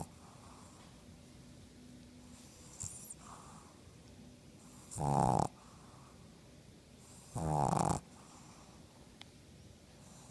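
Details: Black pug asleep with eyes open, snoring: two loud rasping snores about two and a half seconds apart, each lasting about half a second, with quiet breathing in between.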